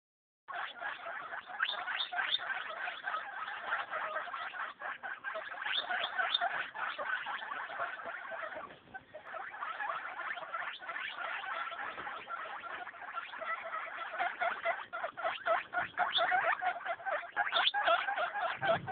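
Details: Eight-day-old baby guinea pigs, several together, make a steady stream of short harmonic squeaks and chirps in rapid irregular succession, with some soft rustling beneath.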